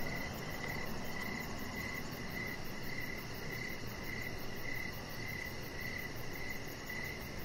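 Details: Evening crickets heard from a deck, their bright, regular chirps pulsing roughly twice per second, with a faint higher ticking above and a constant low background hum.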